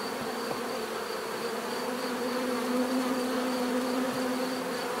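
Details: Natural buzzing of bees: a dense, continuous hum with layered tones from many insects, steady in loudness throughout with a faint high whine above.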